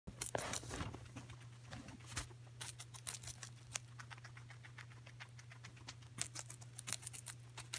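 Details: Coco, a pet guinea pig, munching celery indoors: dense crisp crunching clicks in rapid bursts throughout, with a steady low hum underneath.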